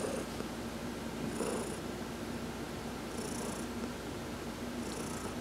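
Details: Heidi, an adopted domestic cat, purring while being massaged during a sun bath on November 19, 2020; a steady low rumbling purr with a soft breathy hiss returning roughly every one and a half seconds, indoors and quiet.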